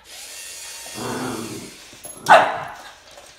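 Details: While squaring up to a snake, Boston Terrier Max makes a low, rumbling growl-like sound, then a single sharp bark after a short pause.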